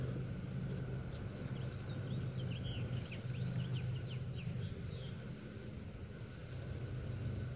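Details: Swarming honey bees in Wisconsin, June 2016, about to be caught: a dense, even, low-pitched hum fills the background while small birds chirp and twitter in quick bursts above it.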